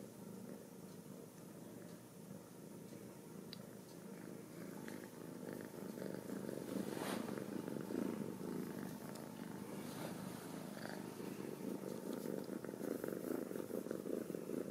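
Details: Ragdoll kittens raised in a home cattery in central Kansas purr continuously; the low rumble grows louder midway, with rhythmic pulsing and occasional rustling and a brief knock.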